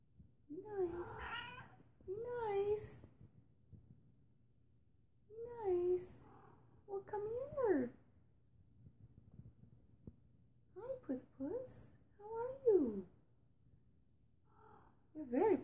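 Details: A rescued female feral cat, indoors beside another cautious cat, leaves her hiding place and calls in a run of wavering, bending meows, singly and in pairs, with quiet gaps between them and soft background hum.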